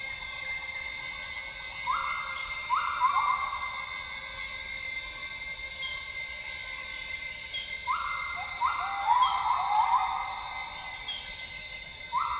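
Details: Northern grey gibbons at dawn in Sabah's lowland rainforest, Tawau Hills Park, Borneo. Bursts of rising, held whoops come in two bouts several seconds apart, separated by pauses filled with an unbroken insect drone.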